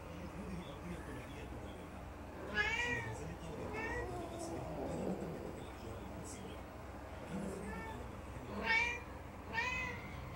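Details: Four domestic cats meow insistently for food on 20 March 2019, with loud harmonic meows rising and falling in pitch.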